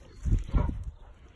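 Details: A Rottweiler keeping watch in the backyard gives two deep, short, booming barks in quick succession, followed by a faint hiss and then quiet.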